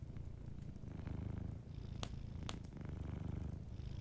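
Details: Deep, soft purring from a cat dozing at a fireplace, a throbbing hum that dips briefly and resumes, punctuated by two loud snapping crackles from the fire about half a second apart.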